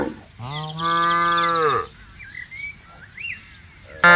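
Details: A cow on a spacious pasture gives one sustained, even moo lasting over a second, followed by quiet background with faint whistled bird notes and a sharp click at the end.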